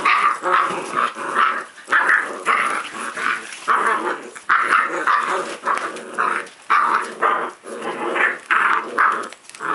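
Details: Growls from a playing puppy come in a long series of gruff, rasping bursts with short gaps. A few sharper yips mix into the steady grumbling.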